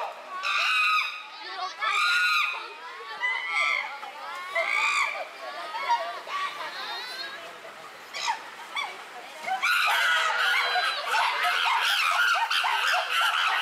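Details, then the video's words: Several chimpanzees in an uproar, Tama Zoological Park, Japan, June 2022: four loud screaming bursts about a second apart, then a quieter stretch of wavering calls before a dense, sustained chorus of shrieks. "The chimpanzees are in an uproar."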